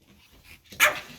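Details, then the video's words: A single sharp, high bark from a white Pomeranian house dog, sounded as its owners get ready to go out, after a moment of quiet indoors. "Собака Померанский ШПИЦ ГАВКАЕТ"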